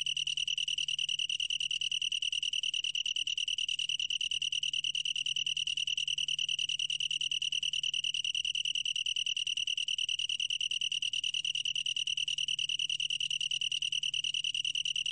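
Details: Long-tailed tree cricket singing a steady, ringing trill of rapid, even pulses at a high, pure pitch, with faint upper overtones, unbroken across the whole stretch; a low steady hum lies underneath.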